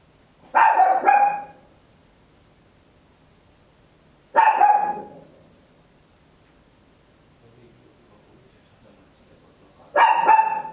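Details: Loud barking from a tiny Papillon at home, stereo recording on an Olympus LS-11: three bursts, each a quick double bark, spaced about four to five seconds apart, with faint background rustle.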